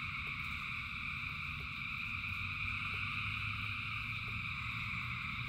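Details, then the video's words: Massed frogs singing in the rain, a steady multi-layered whirring chorus holding the same pitches throughout, backed by low rain hiss and rumble with occasional quick drip ticks. "Frogs in Rain 2 Hours of Frogs, Thousands of Frogs Singing"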